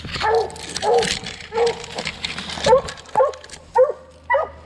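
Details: During a 2020 coon hunt, young Redbone Coonhounds give a steady string of short, ringing barks about once every half second, with a rough noisy outdoor background.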